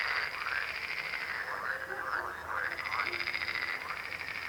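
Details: Frog chorus of steady, overlapping croaks, a thick rattling texture of quick pulses with no other sounds.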